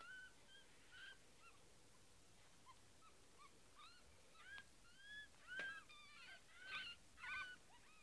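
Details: Several nine-day-old kittens, their mother washing herself nearby after eating, give a run of short, high, upward-curving mews, overlapping and irregular, growing louder toward the end over a soft background hiss.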